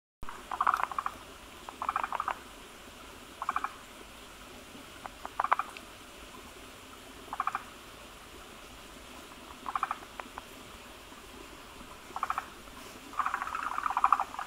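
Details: Forest green tree frogs gathering at a breeding site where many males cluster around a large egg-laden female that lays a foamy egg mass; short pulsed croaking bursts around mid pitch, repeating roughly every one to two seconds, with quiet background.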